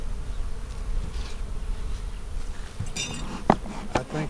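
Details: Honey bees in a hive split, made March 4 and inspected April 15, 2017, give a continuous low hum, broken near the end by sharp clicks and knocks as frames are handled.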